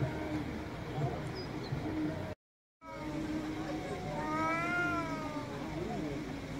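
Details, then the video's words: Angry cat giving a single drawn-out meow, rising then falling, near the end. Steady low rumbling background noise is present, and a brief silent break occurs partway through. "MAULLIDOS de GATOS ENOJADOS 😾🔊 ¡Gatos Maullando Fuerte!"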